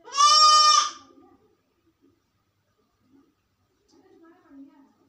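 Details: Sick goat alone in a room: one loud, harsh bleat of about a second at the start, followed by faint low murmuring and quiet rustling.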